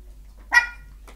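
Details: Rambo, a 13-week-old Chihuahua puppy, barks at its own reflection in a mirror it has never seen before: one sharp, high-pitched bark, then a fainter short yip just before the end, in a quiet indoor room.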